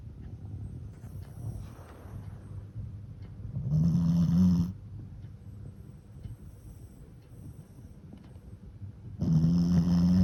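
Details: Fran, a Shih Tzu and Pekingese mix dog, sleeps snoring after a long play session; low buzzy rasping snores come twice, about five seconds apart, with soft breathing in between.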